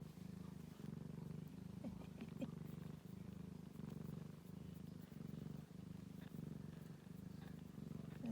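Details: Ragdoll kittens with their mother, pet cats indoors: a steady, low rumbling purr pulsing in short even bursts about every second, with brief faint squeaks and soft rustling over it.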